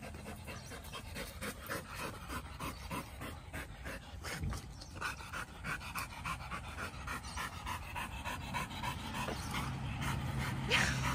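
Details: Samoyed Whiskey playing with dog friends (German Shepherd, Labrador, Border Collie) in a dog park; rapid rhythmic panting, roughly three breaths per second, steady and breathy over outdoor background noise.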